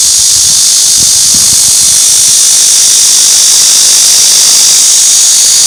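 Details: Cicada song: an unbroken, loud, hissing high-pitched drone holding steady throughout, with a few faint low thumps in the first two seconds.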